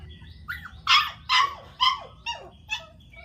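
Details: Newborn dachshund puppies give a run of five or six short, high yelping squeaks about every half second, each dropping in pitch, with faint whines between; steady low hum behind.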